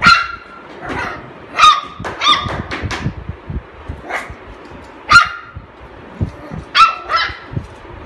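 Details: Golden Retriever puppies, offered for sale around Delhi, India: sharp, high yipping barks in short irregular bursts, several overlapping, with quieter thuds and knocks between them.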